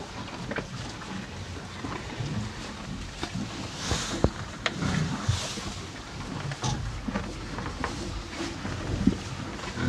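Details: Two farm cows munching hay: sharp clicks and crackles of hay being pulled and chewed, a couple of hissy breaths around the middle, all over a soft low background rumble.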